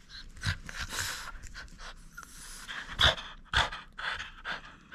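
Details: Quick, breathy panting from a French Bulldog during indoor play over a toy it won't surrender, uneven puffs with a couple of sharper snorting bursts midway.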